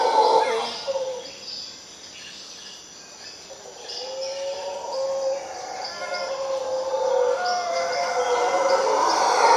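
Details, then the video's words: Howler monkeys in a Costa Rica tree: loud roars at the start fade, then swell again as rising and falling groaning howls build toward the end. Scattered high chirps come from other animals, and background hiss runs throughout. "Howler Monkeys in Costa Rica"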